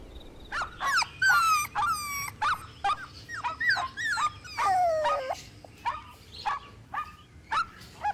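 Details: Puppies in a playful outdoor toy battle with their mother dog, giving rapid high yips and whining squeals, many short rising and falling harmonic cries overlapping in quick succession with brief pauses.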